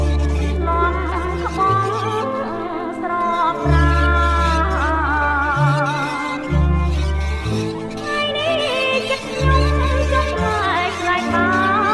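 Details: Loud music with a pulsing bass line and a wavering, ornamented singing voice runs throughout, and no animal is heard.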